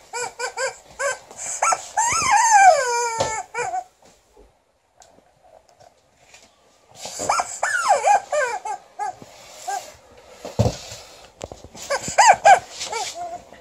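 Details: Liza, a female Alaskan Malamute, sounds angry while testing her new chicken toy: two bouts of high, whiny, arching barks and yelps rising and falling in pitch, separated by a few seconds of near silence, with scattered thumps.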